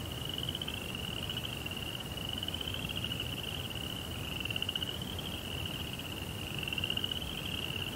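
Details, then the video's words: A cricket chorus at night in a meticulously laid Japanese rock garden with koi pond: a high, buzzy, finely pulsed trill that rises and dips slightly in pitch, over low background rumble. "Cricket Sounds"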